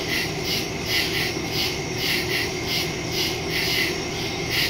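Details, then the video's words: Nighttime woodland crickets recorded on September 2 with a phone and stereo microphone; a steady pulse of high, trilling chirps about twice per second over a soft, continuous low-frequency rumble. "Crickets in the woods at night"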